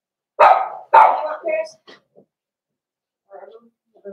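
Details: Cavalier King Charles Spaniels at a breeder's puppy pen during puppy socialization with bigger dogs; two loud, sharp barks in quick succession at the start, then faint soft whines and a voice in the background.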